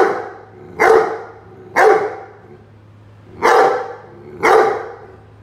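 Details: Playing against a watering can, Rhodesian Ridgeback Roady gives four loud, sharp barks, two close together, a gap, then two more, each about a second apart, over a low electrical hum.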